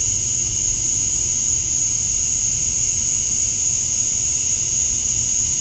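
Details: Male cicadas chirping to attract females at dusk on a summer night in Georgia, USA: a steady, unbroken high-pitched shrill with a fainter lower hum beneath, constant in loudness throughout.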